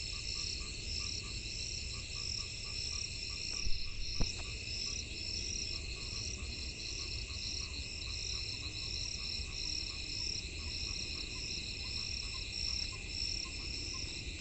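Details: Frogs calling in the rainy season: short, low croaks near one pitch, repeated roughly twice a second in an uneven rhythm, over a steady high insect drone and a few brief knocks around the fourth second.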